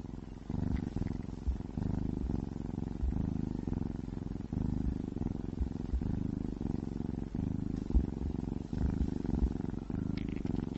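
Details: Domestic cat purring while eating wet food, a deep rumbling purr in steady low pulses about twice a second, with no talking.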